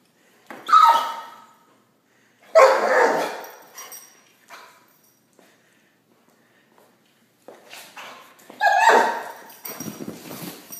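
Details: Pit Bull on a couch wanting a treat, offered by its owner; three separate harsh, whiny barks spaced a few seconds apart, with a softer trailing whimper after the last.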